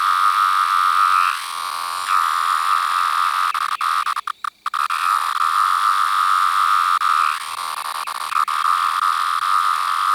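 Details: A single large 17-year periodical cicada with yellow-brown striping under the abdomen, recorded up close, gives a steady high whine that dips and breaks off briefly several times, with a short burst of clicking handling noise midway.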